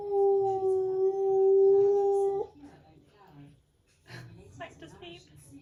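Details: Husky kept as a pet, heard indoors on a typical day: a long, steady, clear howl lasting over two seconds ends sharply, followed by quiet room noise and some human speech.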